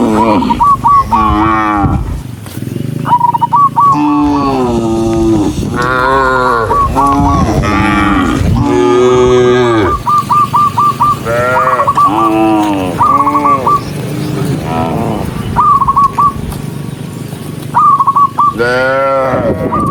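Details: Dozens of tame cattle walking happily as a herd, calling almost continuously; drawn-out harmonic moos rise and fall in overlapping succession, several animals at once, with bursts of short high chirping notes throughout.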